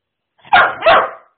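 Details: Airedale Terrier puppy called Rex Pierre letting out a loud double bark, two harsh broad woofs in quick succession about a third of a second apart, clear and close with no other sounds.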